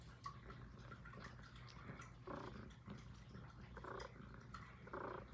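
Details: Highland Lynx cat named Puff purring indoors, a low continuous rumble with soft rhythmic breathing pulses every second or so, recorded close up in a quiet room.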